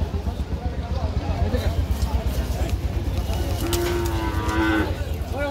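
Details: Cattle of good breed at Madhupur market in Bangladesh; a flat, drawn-out moo lasting about a second near the end, heard over constant crowd chatter and bustling market noise.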